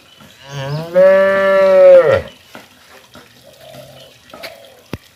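A cow gives a single long, steady moo that drops away at the end.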